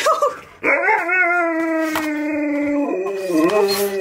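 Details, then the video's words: Pet Husky 'singing' Happy Birthday at a birthday party he throws for his best friend: after a brief short note, a long sustained harmonic howl holds steady, then steps lower and wavers toward the end, with faint background music. "Husky Throws Birthday Party For His Best Friend! Sings Happy Bday to him!"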